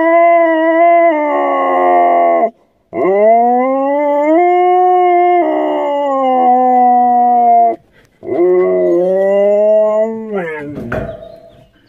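A Siberian Husky gives long, wavering howls that bend up and down in pitch.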